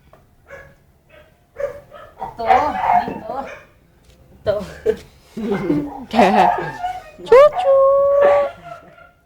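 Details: Puppies giving short high yelps and barks that build into a drawn-out whimpering whine near the end, mixed with steady human talking throughout.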